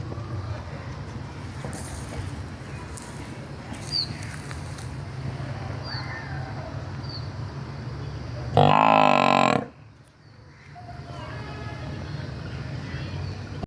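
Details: A water buffalo mother missing her newborn calf gives one loud, hoarse, low "baan" bellow over a steady rural rumble.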